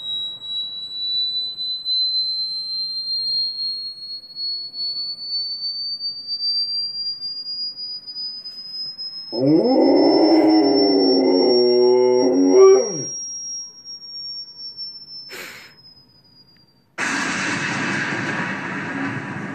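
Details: Pet Rottweiler howling in reaction to TV sounds, joined by a Chihuahua. A steady high electronic tone rises slowly throughout. A wavering, harmonic-rich howl lasts about four seconds midway, followed by a burst of broadband noise.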